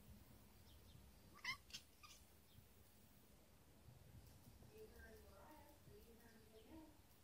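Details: A Siamese cat chatters at birds: two sharp clicky chirps, then soft, wavering little murmurs over a faint background hum.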